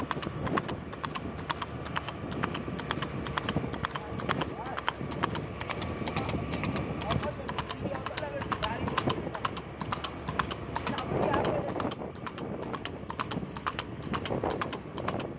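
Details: Horse ridden quickly along a road, its hooves tapping out a continuous, irregular clatter of sharp knocks while people talk throughout.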